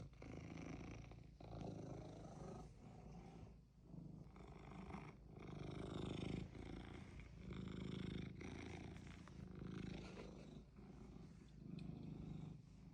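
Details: Cat that knows what it wants, purring in a long run of low vibrating phrases, some breaths louder than others, about a dozen cycles with quiet dips between.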